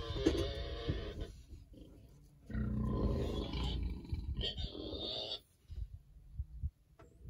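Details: Farm Berkshire pigs enjoying an external parasite treatment before winter, rolling about: a run of rough, harmonic squeals and grunts, with a brighter, higher squeal near the end before the sound fades to soft snuffling.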